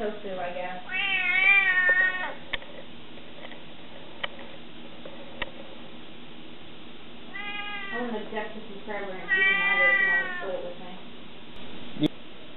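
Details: Savannah cat kitten, 20 weeks old, indoors, giving a series of drawn-out, harmonic meows in three bursts, the first rising then falling, with short pauses between. Quiet people's voices and a few sharp clicks in the background.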